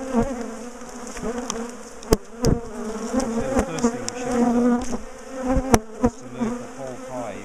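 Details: Bees in a big top bar hive during splitting and removal from a garden; continuous buzzy drone of the colony punctuated by several loud sharp cracks and knocks of wooden bars.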